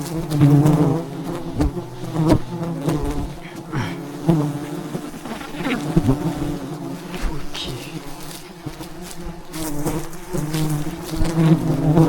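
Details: Wild bees swarming a giant beehive high above the ground in the mountains as honey is harvested; a continuous deep buzzing drone, steady throughout, with scattered clicks and bumps in the background.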